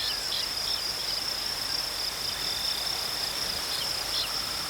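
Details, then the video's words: Crickets give a dense, unbroken high-pitched trill over a soft hiss of outdoor ambience. "Crickets chirping sounds"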